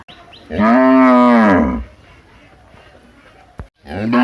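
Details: Big cow in a village giving one loud, sustained moo lasting over a second, followed by quiet, then the start of another moo.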